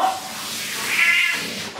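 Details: Domestic cat being bathed in a bathroom: a drawn-out, strained meow that rises and then falls, loudest in the middle of the call. Running water and a bathroom echo sit underneath.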